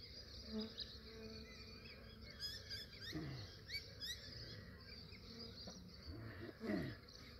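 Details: Honey bees near a massive swarm being captured by a beekeeper in Australia early in the morning. Low droning buzz that swells as individual bees fly past, with bird chirps and twittering in the background.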